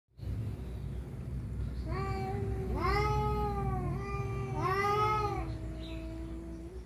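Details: Cats fighting over a female give long, drawn-out harmonic yowls that rise and fall, two overlapping voices swelling from about two seconds onward, with a steady low rumble of background noise underneath.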